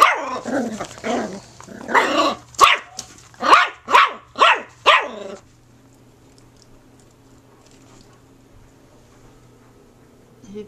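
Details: Puppy at play, giving rough, growly voiced sounds for about two seconds, then a run of six sharp, yapping barks roughly half a second apart, after which the room falls quiet except for a steady low hum.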